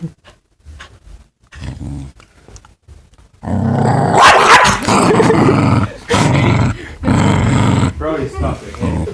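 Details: Dog that was just met acting possessive, not letting a man shake hands with other people; after soft scattered sounds, a low, rough, sustained growl rumbles in long bursts over several seconds while a man talks and laughs over it.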